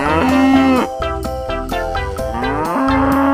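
A cow gives a long, drawn-out moo, steady and rich in tone, at the start and again near the end, over plucked-guitar background music.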